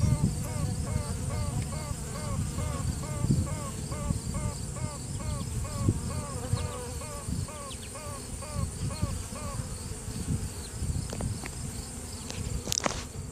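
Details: A virgin queen honey bee (Apis mellifera) pipes in a hive during a routine check, a quick series of short, trumpet-like toots over the colony's hum. Workers pause and another queen may answer.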